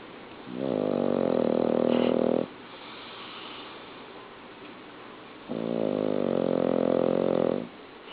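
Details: Domestic dog sleeping indoors, snoring loudly enough to be heard upstairs; two long, low rumbling snores, each about two seconds, separated by a quiet pause.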